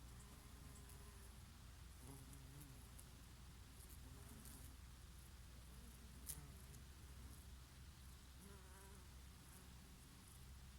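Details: Bees visiting oregano in the summer breeze, with intermittent soft buzzing that wavers in pitch as insects come and go, partly masked by strong low wind rumble.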